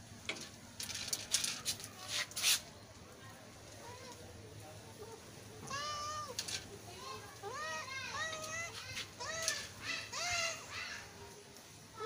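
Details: Kitten meowing, repeated short arched mews starting near six seconds and coming roughly every half second to second, some overlapping; earlier part holds clicks and taps with faint background noise.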